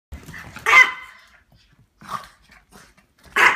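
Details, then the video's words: Chihuahua indoors going wild, one sharp yappy bark followed by shorter quieter yips and pauses. "Funny Silly Crazy Chihuahua Going Nuts!!"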